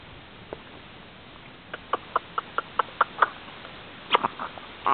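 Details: A three-month-old Chihuahua in Brittany, France gives a quick run of short, high yips, then a thin whine.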